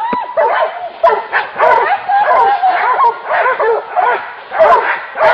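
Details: Hunting dogs baying at a wild boar. Shrill barks and yelps pile up continuously, uneven in rhythm, with sharp loud yaps standing out over the steady clamour of the pack.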